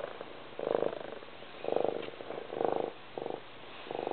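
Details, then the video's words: Cat purring, short buzzy rumbles of rapid pulses rising and falling about once a second, with a quieter hum between the louder pushes. "Kitty Love - Loudest Purr Ever!"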